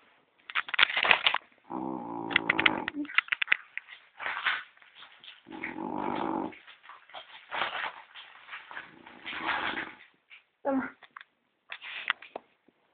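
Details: Gordon, a pet French Bulldog, asleep and snoring as loudly as a person. Two long buzzy, rasping snores of about a second each, with crackling and clicking noises scattered around them.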